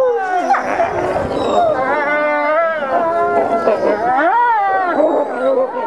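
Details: Gray wolves among the ambassador pack in a daily dominance interaction, recorded 15 December 2008. Many voices overlap in continuous high whining, wavering howl-like cries and sliding yelps, rising and falling throughout with some growly lower noise beneath.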